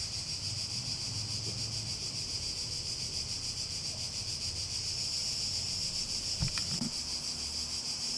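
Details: Cicadas in a relaxing nature recording: a steady, dense high buzzing drone holds without a break, with faint low rumble beneath and a few brief clicks near the end.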